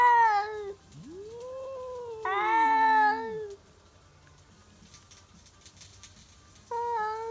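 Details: Stray cats at midnight in a backyard, yowling to defend territory: drawn, wavering wails that rise and sag, two voices overlapping, then a quiet gap before another loud nasal yowl starts.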